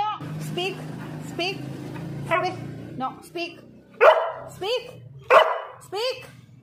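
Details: Black Labrador Retriever, a female born in Kerala, barking on a spoken "speak" command: a series of about eight short, tonal yelping barks with a rising-then-falling pitch, growing louder toward the end, with a person praising her as a good girl.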